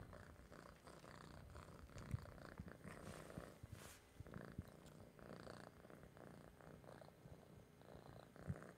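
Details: Orange house cat purring over its treats; a soft, low, even rumble that goes on throughout, with occasional small clicks and a brief rustle partway through.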